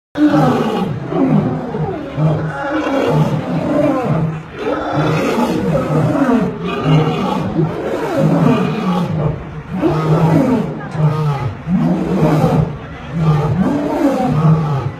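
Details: Thirty-three rescued lions roar together at O R Tambo International Airport while awaiting a road trip to a big cat sanctuary. The roars come in deep, rumbling, overlapping bursts that swell and fade without a break.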